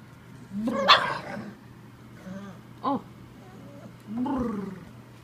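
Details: Bull Terrier pup playing and hamming for the camera, giving throaty, gargling growl-barks in three bursts with a short yelp between, over a steady low hum.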